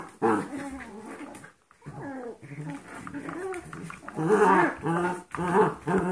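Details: Golden Retriever mix puppies, 14 weeks old, and 5-week-old Yorkshire Terrier fosters at play. Irregular snarling growls and grumbles rise and fall in bursts, with a louder run of throaty growling near the end and a brief human voice.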